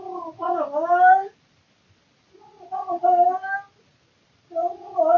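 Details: Domestic tomcat calling loudly at night inside the home out of boredom, caught on a surveillance camera: drawn-out, wavering moaning yowls with rising and falling pitch, three in quick succession with short silent gaps.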